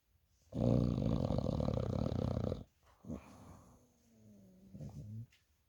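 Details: Sleeping American Bully on a bed giving a long, loud, rattling snore of about two seconds, followed by softer wheezy breaths and a faint whistling exhale in a small room.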